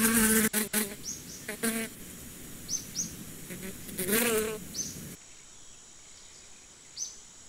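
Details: Short bursts of bee buzzing, brief wavering hums that fade after a few seconds, leaving quiet background with repeated thin high bird chirps.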